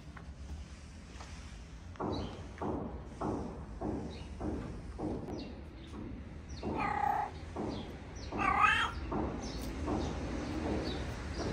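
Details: Homeless street cats in a Moroccan neighbourhood, cute but unwilling to get close to each other, give a couple of drawn-out, wavering meows midway, after a run of rhythmic scratchy pulses roughly every half second, with light outdoor background noise.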